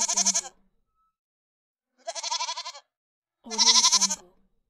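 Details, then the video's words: Goat bleating three times, each a quavering, nasal, harmonic-rich bleat about half a second to a second long, separated by clear silences. "Goat Voices"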